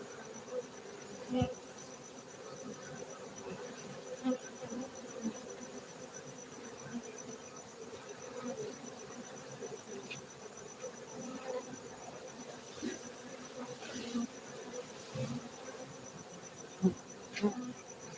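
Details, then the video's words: Honey bees kept at a Gayo apiary in Bener Meriah, Aceh, Indonesia: continuous low hum of many bees, with occasional sharp buzzing passes near the recorder and a faint steady high tone. "Markaz lebah madu gayo Aceh Indonesia bener meriah"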